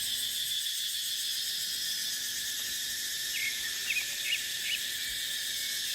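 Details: Dry-season cicadas droning in a dipterocarp forest, a continuous bright buzzing wall of sound, steady throughout, with a short run of small bird chirps toward the end.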